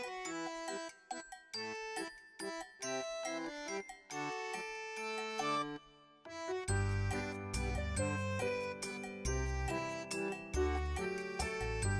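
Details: Bright chiming children's music with bell-like notes and a bass line, briefly pausing near the middle, with no animal sound.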